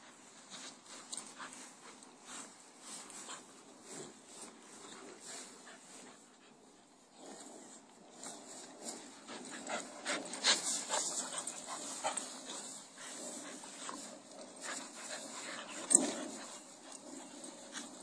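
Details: A 10-month-old blue Staffordshire Bull Terrier, playing with a 7-year-old child, gives soft whines and grumbling vocal sounds with scattered louder yelps.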